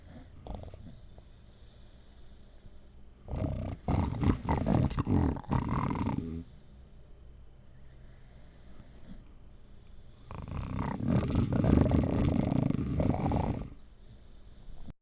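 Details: Female puppy sleeping and snoring, two long harsh rattling snores of about three and four seconds separated by quiet breathing, low and gravelly throughout.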